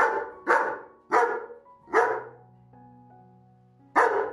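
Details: German Shepherd barking at its owner, who said it was mealtime but brought no food; four forceful barks in quick succession, a quiet pause with held music tones, then one more bark.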